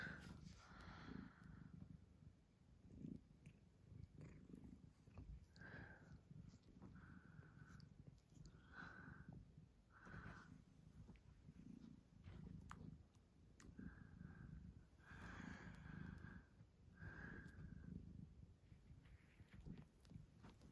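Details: A female Maine Coon cat, playing lightheartedly and huffing with her owner, purrs low and steady, with short bright chirps breaking through now and then.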